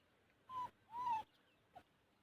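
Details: Young puppies, four males and one female, playing indoors; two short high whining whimpers with a faint third, steady and slightly rising then falling, with a person speaking around them.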